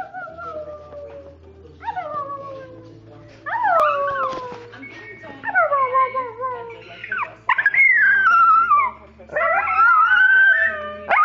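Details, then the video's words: Two dogs howling together in a playful 'singing' session, long wavering howls sliding downward and rising again, overlapping voices with a steady low hum beneath. "Dog Songs"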